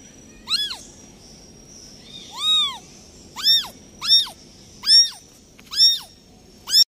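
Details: Persistent crying from a newborn kitten whose mother cat left it: seven loud, shrill, arching meows about one per second, the second one longer and drawn out, with little else audible.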